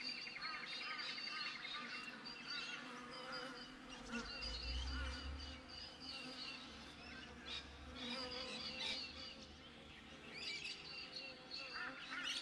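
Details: Honey bees outside a beehive, recorded with a GoPro set up by the hive: a steady low buzzing hum of many bees throughout, overlaid with frequent bright chirping and twittering of birds nearby.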